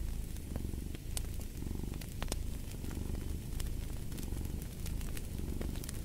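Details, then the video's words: Purring cat next to a fire, a low buzzing rumble swelling in regular breath cycles about once a second, punctuated by bright crackling snaps of burning wood. "Fall asleep to the Purring of a Cat & Fireplace"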